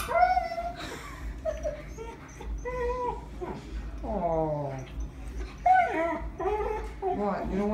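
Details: Husky crying as its owner asks why it is crying and whether to squeeze the deer; repeated tonal whines, some sliding downward in long falling wails, interleaved with a man's talking in a small room.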